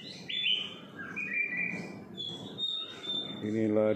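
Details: Long-tailed white-rumped shama, a pet bird, singing one morning outside a Singapore apartment: sustained clear whistles and a lower slurred note, followed by a buzzy, harsh voice-like sound at the end.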